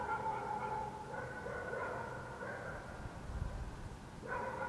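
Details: Dogs in Helsinki, Finland, heard at night in June 2014; drawn-out, howl-like barking and yelps that merge into one another, then a sharper bark at the end, all above a low traffic rumble.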